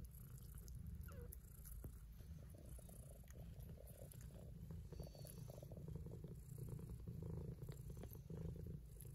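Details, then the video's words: Kittens purring with pleasure while they eat: a steady, low, rumbling purr running through the whole stretch with a throbbing, pulsed texture, plus a few faint soft clicks and smacks above it. "Watch How They Eat and Purr!"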